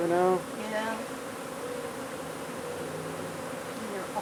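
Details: Honey bee hive under a wood pile in McAllen, Texas, during removal: a short burst of human speech opens, then an unbroken, even, low bee drone fills the rest.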